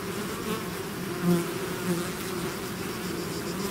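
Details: Bees swarming out of their hive give a steady droning buzz, briefly swelling twice as individual bees zip close past the microphone.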